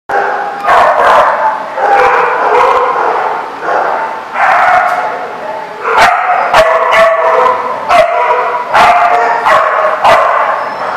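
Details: Many dogs at The Barking Lot in Rhode Island, recorded 24 January 2014, barking together in a dense, overlapping chorus of sharp barks and yips with almost no pause, the din swelling again after short dips.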